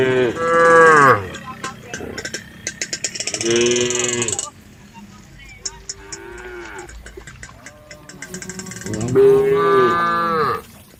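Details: A tame group of female cows returning to the cowshed: several loud drawn-out moos, rising then falling at the ends, separated by quieter stretches with clattering and rustling in between.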